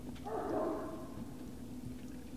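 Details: Great Dane puppies at Puppy Hill on the evening of 19 February 2019. One drawn-out whimpering cry rises and fades within about a second, over a constant low background hum.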